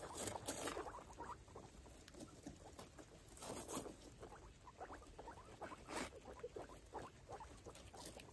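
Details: Mother guinea pig Chalupa and her five foster babies roam their clean cage, giving quick clusters of brief, soft murmuring notes among scrabbling footsteps and bedding rustle, with occasional sharper scrapes.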